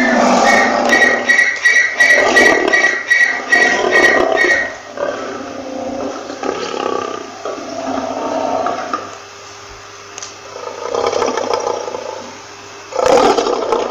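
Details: Lion roaring: a run of loud, harsh, harmonic pulses in the first five seconds, then quieter rumbling growls, with a final loud burst at the end.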